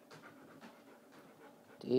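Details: Tulle, a female pet dog, pants during ball play with her owner: soft, breathy bursts repeated about every half second, low in level, before a louder burst of Danish speech at the end.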